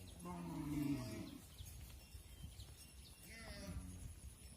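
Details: Cattle on a farm as mother cows enter the barn and calves remain outside; a deep moo at the start and a shorter lower one later, with rough background rumble and faint high chirps.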